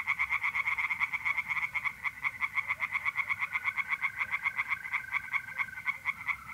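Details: Mid-April night at a pond in north-east Italy, tree frogs calling steadily in a quick series of harsh pulsed notes, several per second, over the unbroken trill of mole crickets.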